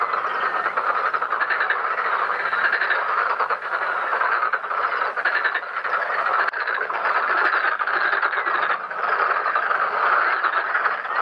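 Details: Pond full of black-spotted pond frogs croaking during their mating and egg-laying, an unbroken, pulsing chorus of overlapping rough calls with gentle swells in loudness throughout.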